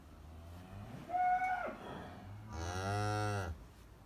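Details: Farm cow that has just calved, with its newborn calf nearby: a brief higher tone early on, then a steady, low, sustained moo of about one second, rich and nasal, in a quiet indoor setting.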